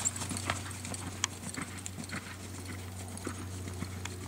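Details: Clip-clop of an American Quarter Horse gelding, born 2007 and bred for reining, as crisp scattered hoof strikes over an even low mechanical hum.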